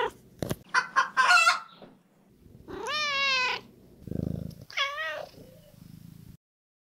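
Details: Domestic cat sounds from a counting brain game: quick chirps and squeaks at the start, then a long wavering harmonic meow, a low purr-like rumble and a second drawn-out meow.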